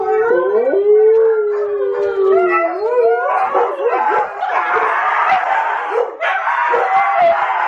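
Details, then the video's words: Siberian Huskies howling together with Tonka the Malamute on a TV indoors; wavering, gliding howls rise and fall, then thicken into a dense chorus of several overlapping voices. "Huskies howling with Tonka the Malamute!"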